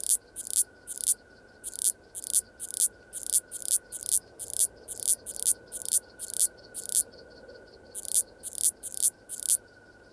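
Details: Common Slender Bush-cricket (Tessellana tessellata) singing at Freiburg, Germany, on 9 September 2021, picked up through a Pettersson D 100 ultrasound detector: short, hissing high chirps, roughly two per second, in runs broken by brief pauses, over a faint steady tone.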